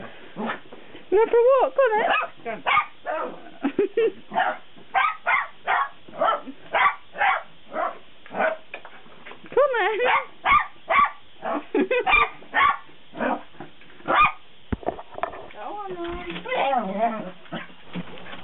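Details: Jack Russell Terrier taken out on a walk, excited and worked up: rapid bursts of sharp barks with high wavering whines in between, and a person talking over the noise.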